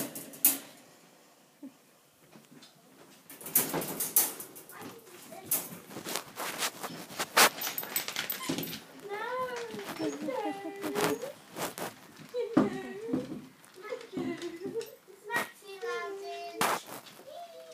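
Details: Whippets being let out indoors; after scraping, a door sliding and talking, a string of high, wavering whines and yelps repeats over several seconds, with a voice speaking in between.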